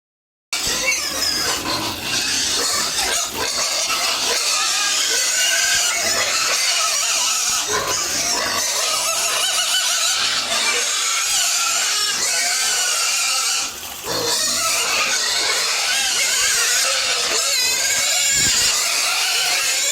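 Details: Pigs on a home farm at feeding time, a dense, continuous, noisy chorus of grunting and squealing that keeps up for the whole stretch with only a brief dip.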